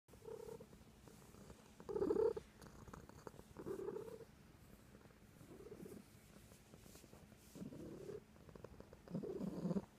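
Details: A domestic cat purrs, its low, rumbling purr swelling in bursts roughly every one to two seconds with quieter pauses between, indoors with no other clear sounds.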